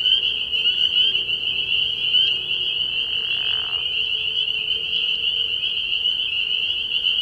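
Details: A frog pond at night early in the year rings with spring peepers, countless high shrill peeps forming a steady chorus; a brief soft rushing sound passes through around the middle.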